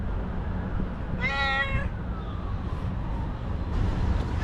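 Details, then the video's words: One loud, tense meow from a cranky, nervous white female domestic cat, steady in pitch then trailing off, over a low humming background and some rustling. "Angry White Cat Meows CONSTANTLY and Suddenly Gets Nervous"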